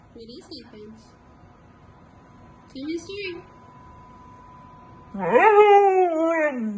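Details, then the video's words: Siberian Husky protesting about not going out: two brief whiny yelps early on, a pause, then a loud rising-then-falling harmonic scream-howl about a second and a half long near the end; a faint steady hum underneath. "husky screaming woof!"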